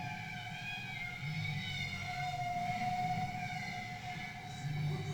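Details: Bowhead whale "warble song" from the first recording of singing bowheads off West Greenland: a sustained, moaning tonal note rich in harmonics, pitch wavering gently, over low background rumble. The singing went on for hours.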